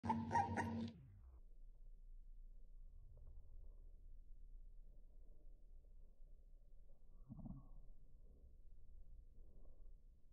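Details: A brown-and-white Lagotto Romagnolo puppy from a litter of male and female puppies gives one sharp, bright yelping bark, then only faint rustling follows.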